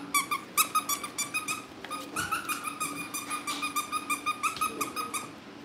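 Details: Cavalier King Charles Spaniel puppies at a family home, being cared for on a livestream before family pick-ups; high-pitched squeaky yelps with bright harmonics, repeated rapidly several times a second in an uneven run, with a low steady room hum beneath.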